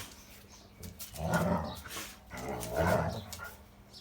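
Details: Big dog giving two deep, rough, low-pitched barks about one and a half seconds apart, with a faint steady hum beneath.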